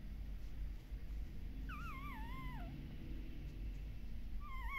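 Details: With their mother away, puppies at a Shiba Inu and Samoyed breeder in the Netherlands give a single long wavering howl that dips and wobbles downward. A second rising wail starts at the end over a low background hum.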